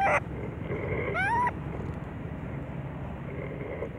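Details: Little baby monkey with a mental defect that is getting better, crying loudly: a short burst at the start, then one shrill rising, whistly cry with stacked harmonics, over steady low background rumble.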